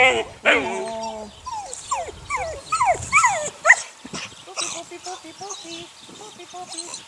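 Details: Whining and yelping from Sunny's litter of six eight-week-old puppies: a long wavering whine, then a run of quick rising-falling yelps, fading into softer repeated whimpers, with a human voice briefly mixed in.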